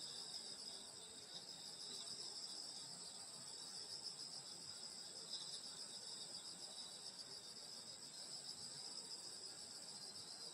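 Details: Insects singing on a summer night in the countryside at a grandmother's house: a dense, steady high chorus of overlapping trills in several continuous bands, unbroken throughout, with a faint low rustle beneath.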